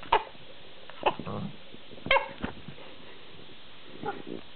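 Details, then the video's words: Collie x husky dog during an afternoon burst of playful energy, giving short sharp barks about once a second with a low rumbling growl and whiny noises between them, in a quiet room. "(collie x husky) growling and making funny noises"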